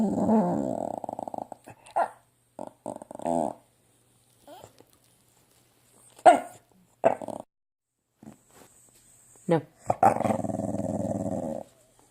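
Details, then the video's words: A female Staffordshire Bull Terrier, acting silly after being told no, makes drawn-out, throaty grumbling moans broken by short yips and huffs. "Staffordshire Bull Terrier making funny noises - Silly Dog"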